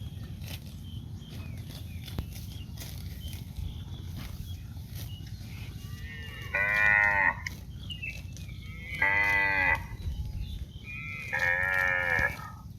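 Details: Cow in green grass fields giving three drawn-out moos about two seconds apart, each a rich harmonic lowing, over steady low rumbling background noise.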